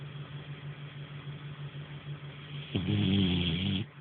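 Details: After a stretch of low hum, Nara, a sleeping French Bulldog, lets out a single drawn-out, throaty snore lasting about a second.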